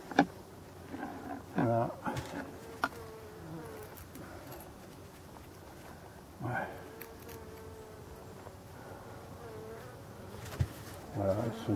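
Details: Black honey bees at an abandoned hive under restoration, some growing agitated before settling; a steady mid-pitched hum runs through, broken by knocks, rustling handling noises and brief voices.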